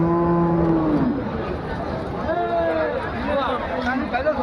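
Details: Bullocks offered for sale at a border-area cattle market ahead of Qurbani; a low, steady moo of about a second opens, followed by fainter wavering calls amid a murmuring crowd.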